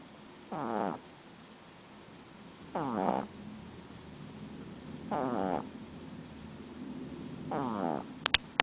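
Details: Female pug at home snoring, described as something she does all the time: four drawn-out wheezy, whistling breaths, each about half a second long, repeating roughly every two and a half seconds in a quiet room.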